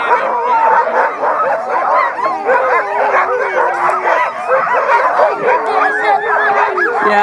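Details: Many sled dogs howling together at Mendenhall Glacier, Alaska, in September 2015, a dense overlapping chorus of wavering, rising and falling howls and yips, with a person speaking nearby.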